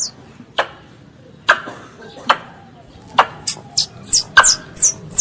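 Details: A squirrel calls its mother: spaced sharp clicks open the sequence, then high falling whistled squeaks join and quicken toward the end, over a quiet background.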